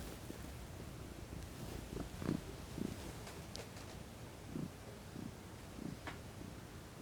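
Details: Domestic cat, female, relaxing in the sun, purring softly: faint low rumbling pulses at irregular intervals, with a few brief clicks and rustles.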